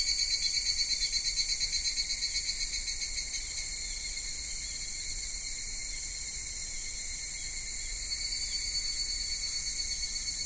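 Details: Summer cicada chorus recorded at Michinoku Folk Village and Kitakami Tenshochi in Kitakami, Japan: rhythmic pulsed throbbing for the first few seconds, then a steady high-pitched drone that swells again toward the end.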